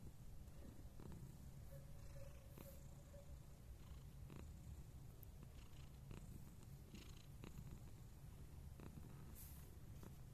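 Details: Scottish Fold cat recorded 29 November 2021, giving a continuous deep purr that holds steady for about ten seconds, with light scattered ticks and rustles above it.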